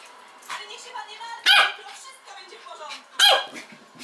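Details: West Highland White Terrier, described as a crazy dog, gives two sharp, loud barks about two seconds apart, with quieter whiny vocal sounds and human voices between them.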